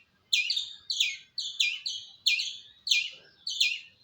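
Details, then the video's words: Squirrel giving sharp, high chirps, each a quick double note sliding down, repeated about every half second in an uneven series over a quiet background. "Squirrel Making Sound"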